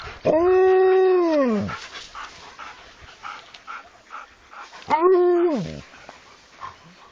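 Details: Alaskan Malamute dog howling twice: a first long arched howl rising then sliding down, and after a pause a shorter second howl that climbs and levels off, with light rustling between them.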